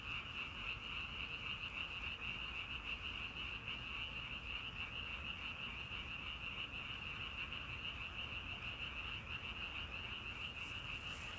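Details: Frogs in a natural setting calling together as a dense, unbroken chorus of rapid pulsed croaks on a steady high pitch, about three pulses a second, over a low rumbling background.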